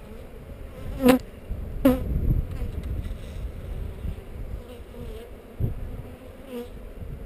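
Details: Honey bees buzzing around a GoPro during a hive inspection by heather; loud whining buzzes sweep past the microphone twice early on, then a fainter pass later, over a continuous low colony drone.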